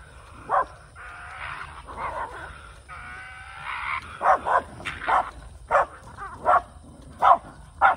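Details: Shiba Inu named Kai, a male on the hunt in the countryside, living with a former feral dog: drawn-out whining tones in the first half, then sharp barks roughly every three-quarters of a second.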